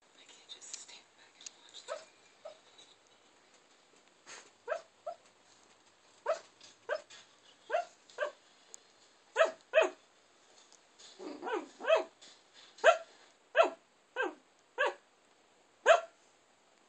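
A dreaming Shiba Inu lets out quiet, stifled woofs and little yips. They come in clipped bursts, sometimes in quick pairs, then pause irregularly before starting again.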